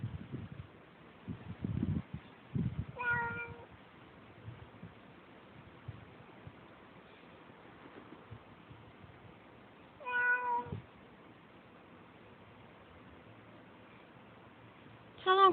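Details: Pet cat Sissy meowing indoors, unhappy about another cat outside in the yard. Three drawn-out, harmonic meows come about seven seconds apart, with faint thumps and low murmuring between them.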